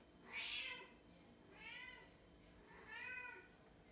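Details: Domestic mother cat calling her kittens: three separate meows about 1.3 seconds apart, the first loudest, each a short arched tone with clear harmonics, over a faint steady background hiss.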